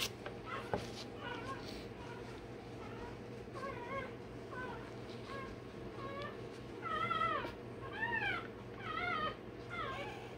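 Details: Newborn Rottweiler puppy, a day old, during tail and dewclaw work: soft, quavering squeaks at first, building into louder, wobbling whines repeated about once a second, over a constant low hum.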